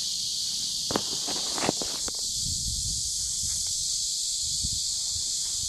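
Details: Summer cicadas droning along a riverbank, 23 July 2015, their continuous shrill buzz steady from start to end while footsteps and rustling crunch underneath in the first half.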